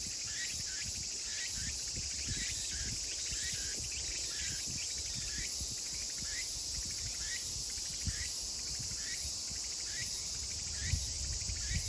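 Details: Chorus of Meimuna opalifera cicadas in Kawagoe, Saitama, Japan, on 24 August 2020 at summer's end, with many overlapping callers giving short sweeping phrases over a steady high-pitched insect hiss.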